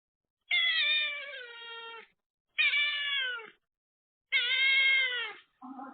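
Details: Cat meows after TNR neutering surgery as the firstborn son visits his mother: three long, clear, harmonic meows, each falling slightly at the end and spaced about two seconds apart, then a short, lower sound at the close.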